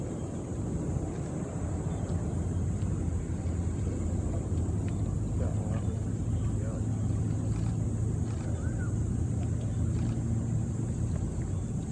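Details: Steady engine rumble from a vehicle or boat with faint voices, and no animal calls.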